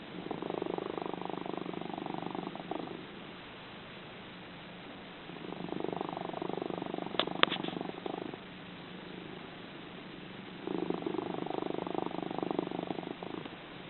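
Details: Cat snoring and purring while asleep, a noted loud snorer: three long rasping rumbles, each about three seconds, separated by softer pauses, with a brief sharp tick in the middle.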